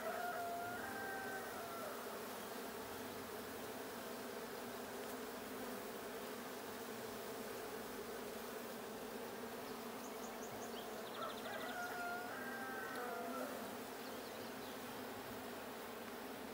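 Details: Steady colony drone from a blue honey bee hive, checked 6/20/22, a continuous buzzy hum throughout, with drawn-out tonal calls, likely a rooster crowing, rising at the start and again near the twelve-second mark.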